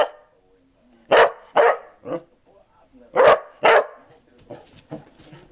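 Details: Basset Hound giving loud barks in pairs, each pair about half a second apart and repeated after two seconds, with softer short woofs trailing off at the end.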